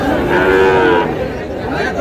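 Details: Sahiwal cattle, bull calves bought by a farmer from Pabna, 23 August 2026: a single strong, harmonic moo lasting about one second, steady then easing off, followed by a noisy background with faint chatter.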